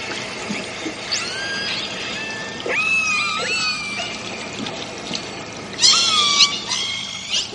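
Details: A family of killer whales underwater gives squealing, harmonic calls with quick rising and falling sweeps against an underwater hiss.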